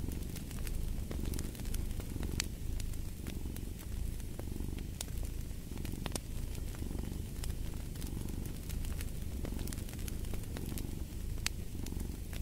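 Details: Steady rumbling purr of a domestic cat in rhythmic breathing cycles, accompanied by constant fireplace crackling and sharp snapping pops.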